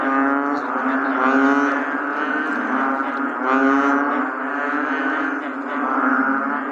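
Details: Bullfrogs on a rainy day drone in deep, resonant, cow-like moans that swell and overlap without pause.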